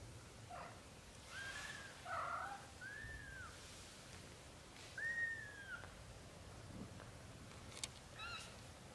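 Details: British Shorthair kittens in their first 30 days, a litter of four from mother Samel and father Leo. Several high, bowed mews in quick succession, a longer falling cry after five seconds, plus soft rustles and clicks.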